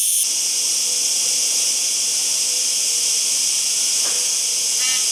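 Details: A cicada's continuous hissing buzz fills the recording, high and even throughout, with a brief change in tone at the very start and end.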